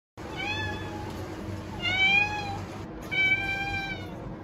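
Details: Cat meowing three times in quick succession, each a clear, high, tonal mew that rises slightly and then falls, roughly half a second to a second long, over a steady low background hum.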